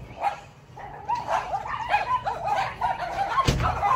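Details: Yorkshire Terrier named Macy, anxious for a barking battle with two neighbour's dogs; short, rapid barks start after a quiet second and repeat in quick bursts, with a sharp knock near the end.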